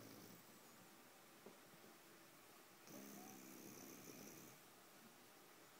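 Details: Sleeping bulldog snoring indoors: one long raspy, buzzy breath with a low humming tone, starting near three seconds and lasting about a second and a half, over a quiet steady hiss.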